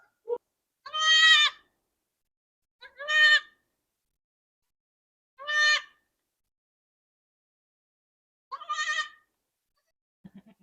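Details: Newborn Mini Nubian buck kid, a twin, on a small north Texas farm, described as noisy and more talkative than his brother: four harmonic, nasal bleats about two seconds apart, each under a second, otherwise quiet.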